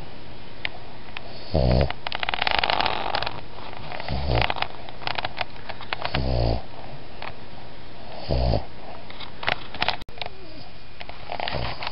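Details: A Boston Terrier–Pug mix dog gives a soft whisper snore, each rough, breathy snore coming about every two seconds.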